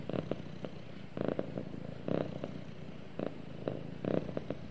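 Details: Domestic cat snuggled up against its owner and purring: a continuous deep hum with regular throbbing pulses about once a second, recorded close up in a quiet room.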